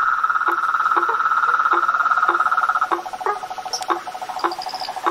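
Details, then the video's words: Frogs, toads and tree frogs calling in nature: a loud, continuous buzzing trill runs beneath low, hollow knocking notes that come about twice a second, and a few higher chirps appear near the end. "Os sons dos sapos , rãs e perereca na Natureza"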